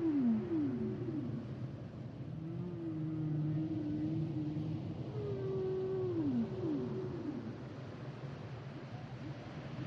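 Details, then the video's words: Humpback whale song of clear falling swoops, a long wavering low moan and a descending drawn-out cry followed by more downward sweeps, set against low ocean rumble. "Sounds and Songs Of The Humpback Whales"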